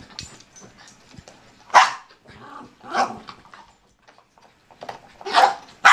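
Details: Two pet dogs, a German Shorthaired Pointer named Benelli and a Bichon named Rocky, playing together; three loud separate barks spaced about a second apart, with quieter scuffling and small vocal noises between them.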